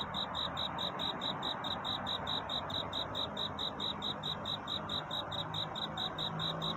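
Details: Cricket chirping at night in search of a mate: a rapid, metronome-like string of shrill pulses, close to four per second, ringing over constant background hiss and a faint low hum.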